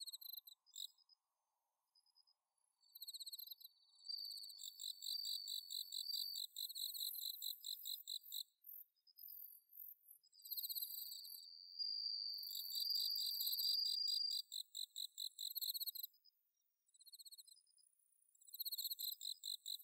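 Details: Autumn night chorus with bell cricket song, recorded at Inba-numa rice paddies, Chiba, Japan. Bursts of fast, high pulses repeat, with a sustained ringing tone near the middle and a few short quiet gaps.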